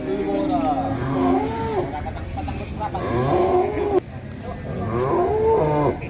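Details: Giant black cattle kept in a pen in Indonesia, described as among the largest at present. Several drawn-out, harmonic lowing calls with bending pitch, about three in six seconds, over background music and faint voices.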